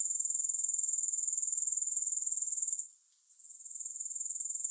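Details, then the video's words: High, thin grasshopper trill with no music, rhythmically pulsing about four times a second, fading abruptly near the three-second mark and gradually building back up. "Grass Hopper Sounds"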